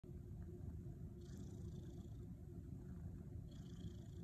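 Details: Louie the cat kneading, making biscuits, in his teepee; a steady, deep, low rumbling purr runs throughout, with faint soft rustles around the middle and end.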